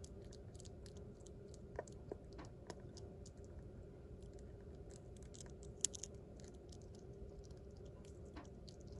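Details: A pet sugar glider chewing, crushing its food with its back teeth: soft, irregular crunches and small clicks over a steady low hum.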